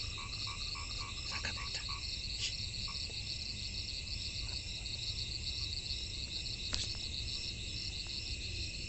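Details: Frogs in the rainy season, giving short, repeated croaking notes in loose bursts over a constant high-pitched insect trill and pulsed chirping.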